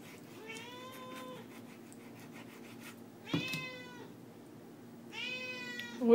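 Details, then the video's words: A house cat that loves chicken asks for it during cooking with three clear meows spaced about two seconds apart, the second sharper and louder, set against low indoor hum and a clatter at the end. "Cat Really Wants Chicken"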